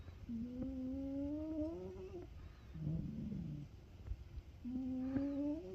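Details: Sleeping Ragamuffin cat snoring: a long, steadily rising tonal hum on one breath, then a softer, lower buzzy breath, with the rising hum returning near the end; quiet indoor room.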